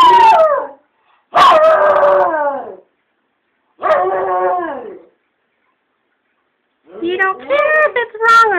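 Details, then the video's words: Rat terrier and chihuahua mix, a rescue dog, howling along to the song "Roxanne" on the radio; four long wavering harmonic howls, rising then sliding down, separated by short silences, loud and close. "Rat Terrier Sings "Roxanne" By The Police"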